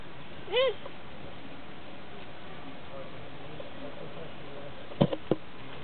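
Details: Fallow deer at Opole Zoo: one short nasal bleat, rising then falling with clear harmonics, followed by a few faint dull knocks and a low background murmur.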